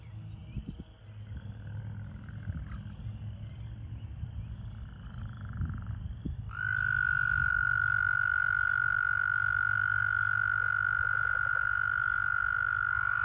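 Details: An American toad calling at a breeding pool in breeding season gives a long, steady, high musical trill, sustained without a break for several seconds, amid toads calling and in amplexus.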